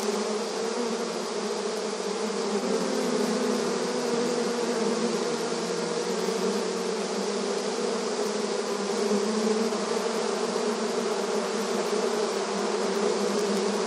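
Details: Honey bees busy in front of their hive in a rural setting, heard as a sustained, dense buzzing drone with low humming tones and occasional louder passing bees, steady from start to finish.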